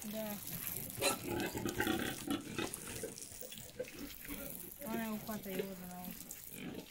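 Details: Mangalica pigs being showered with water to cool down: short high squeals with rising and falling tones and grunts, over running, splashing water and some human voices.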